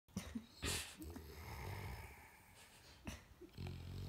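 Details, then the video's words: English Bulldog sound asleep with its head resting on a girl like a pillow, snoring peacefully; short low rumbling snores and breathy wheezing breaths, with brief soft sounds near the start. "REALLY relaxed English Bulldog snoring"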